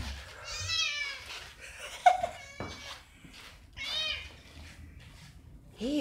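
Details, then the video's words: Eva, an overly excited female cat indoors, gives loud drawn-out meows that rise then fall, one near the start and another midway, with a woman's exclaiming voice and a short squeak near the end. "Overly excited cat - Eva, la gata emocionada en demasía"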